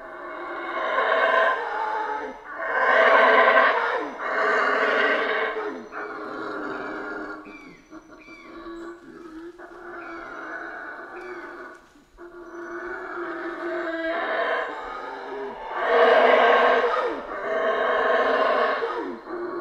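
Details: Howler monkeys roaring in a Central American rainforest: rough, droning howls rise into loud surges several times, separated by softer grunting stretches and short gaps, the chorus building again strongly near the end.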